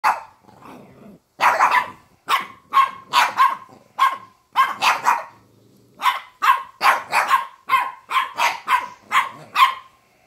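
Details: Several dogs play-fighting on a bed, playfully pouncing at each other indoors; a burst of sharp, high barks and yips comes in quick irregular runs, about fifteen barks over ten seconds with short pauses, some overlapping.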